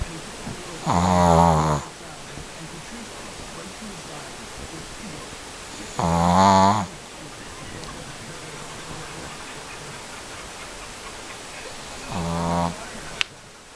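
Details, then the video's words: A Shih Tzu snoring while asleep: three loud, harmonic, throaty snores spaced about five seconds apart, each lasting under a second, over a quiet steady background hiss. "Snoring Shih tzu"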